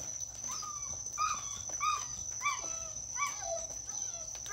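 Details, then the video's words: Barking from the neighbour's dogs in Omao, a constant nuisance: quick, fairly distant yaps come in an irregular burst, several per second at times, with a thin continuous high whine behind them. "Barking dogs"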